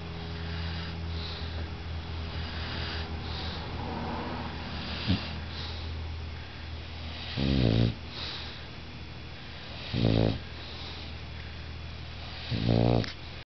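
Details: Bulldog asleep, giving three deep, rumbling snores spaced about two and a half seconds apart. Each snore is a short, harsh, vibrating rattle, with soft room hum between them.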